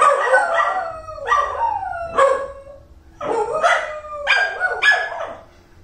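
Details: Pair of domestic dogs in a howling duet, voices sliding down then swooping up, with brief yip-like onsets. Four or five overlapping howl phrases over six seconds in a quiet room.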